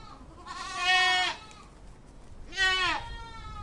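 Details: A goat (Capra hircus) gives two wavering, nasal bleats, each under a second long, separated by a short pause.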